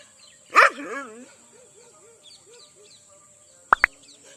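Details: During a dog fight in an Indian village, an aggressive Rajapalayam dog gives one loud, harsh bark that trails into a wavering growl, then two sharp yaps.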